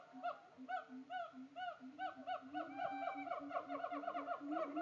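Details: Siamangs at Tampa Zoo give loud, hooting calls in a quickening series, with a second voice joining in; a male is putting on a show.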